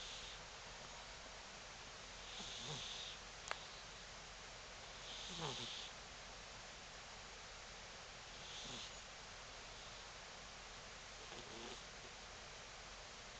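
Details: Cross-eyed tortoiseshell cat snoring while asleep: soft, breathy snores recur about every three seconds, each with a faint high nasal whistle over a hushed, steady background.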